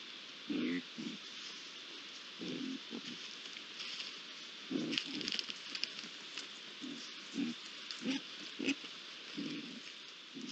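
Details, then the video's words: At a pond on 8 July 2022, three young Iberian lynxes make repeated brief rough growling sounds, about one every second at times, beneath a continuous bright hiss. "Tres rayones en la poza (Sonido ambiente)"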